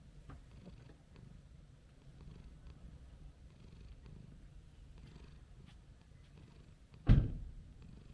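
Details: Petted orange-and-white stray cat with a mellow temperament gives a clear, even, low purr, pulsing steadily in soft waves, broken near the end by a sudden loud thump.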